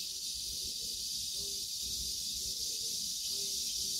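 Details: Cicadas drone in a steady, high, hissing buzz that never breaks, near an old tree with morning glories, pumpkin leaves and peppers.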